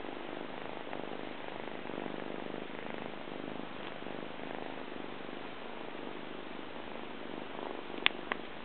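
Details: Purring Persian cat, a male, rolling about on his owner's belly indoors: a continuous low, grainy rumble with gentle rhythmic pulsing, and a sharp click near the end.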